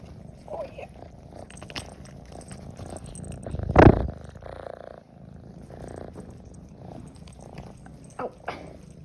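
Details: Group of shelter cats in a small room welcoming a caregiver they missed: continuous low purring with brief soft meows, a loud thump midway, and a woman speaking softly.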